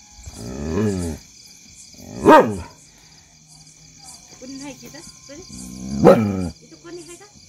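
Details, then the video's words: Adopted street dog barking at unknown people: a few sharp, loud barks spaced several seconds apart, mixed with lower drawn-out vocal sounds and human voices in between. "barking on unknown people"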